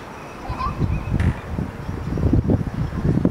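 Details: California sea lions give low, rough barking calls in a steady overlapping chorus on a floating dock off Monterey Fisherman's Wharf, California, where young pups rest on their mothers; March 21, 2013, early spring.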